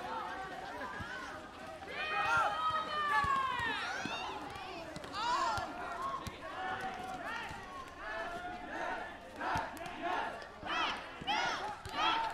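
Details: Two cats fighting, Evie the blond cat against Nawwab the black cat: a long, drawn-out wavering yowl that rises then sags, followed by a run of shorter harsh rising-and-falling wails growing more rapid toward the end.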